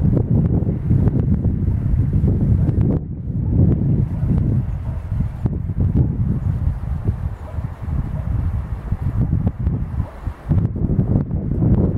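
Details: Only steady, rumbling wind buffeting the microphone is heard, with no clear animal call.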